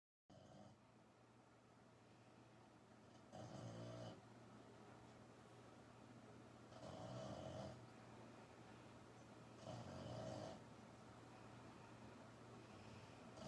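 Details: Pukka, a female French Bulldog, sound asleep and filmed on the sly: three rough, wheezy snores about three seconds apart, each a short breathy rasp, with a low steady hum between breaths in a quiet room.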